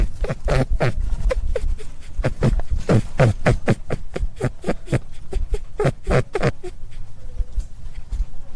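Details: Rabbit giving rapid runs of short, broadband grunting pulses, roughly three to four per second, over a low rumbling background; bursts cluster in the first seven seconds, then fade to a few faint clicks.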